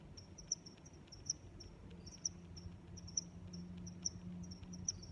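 A cricket chirps steadily, a high, pulsing trill repeated roughly once a second over a low background hum.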